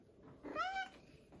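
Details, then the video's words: Pebbles, a female cat, demanding her breakfast in the morning. A single short meow rises slightly, then levels off as a clear harmonic tone lasting about half a second. Low room noise is underneath. "Breakfast time for Pebbles. Very vocal this morning."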